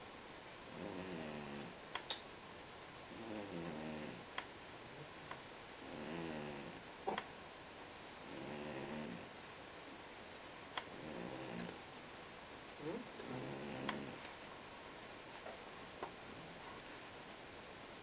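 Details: A pet cat snoring in its sleep indoors; rasping, ribbed snores repeat about every two and a half seconds, each a drawn-out buzzy breath with a fluttering texture, separated by quiet pauses and faint clicks.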